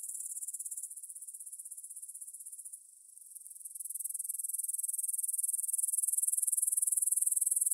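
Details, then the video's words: Grasshoppers stridulating in a field near the Svensky monastery, Bryansk, Russia, at 9pm on 6 September 2020, taken on a Tascam DR-44WL stereo recorder; a continuous high, shimmering pulsed buzz that dips briefly around three seconds, then swells louder. "кузнечики на лугу – Grasshopper Sounds in the Field"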